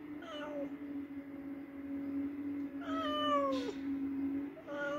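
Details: Domestic cat meowing indoors after hunting a mouse: three drawn-out, falling meows spaced about two seconds apart over a steady low electrical hum.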